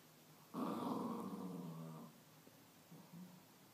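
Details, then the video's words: Corgi puppy talking to a baseball bat with a low, rough, sustained growl lasting about one and a half seconds, followed by fainter grumbles against a quiet hiss. "Corgi puppy talking to a baseball bat"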